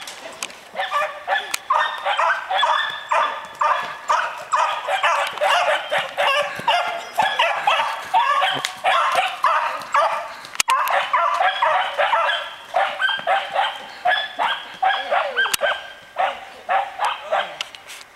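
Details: Puppies bark while chasing: a steady stream of sharp, high yapping barks, about two per second, overlapping and excited, continuing throughout with brief whimpering yips and a few faint clicks.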